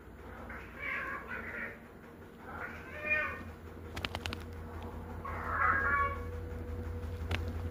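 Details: Pet cat giving three soft, drawn-out meows a couple of seconds apart over a low background hum, with a few clicking taps in between.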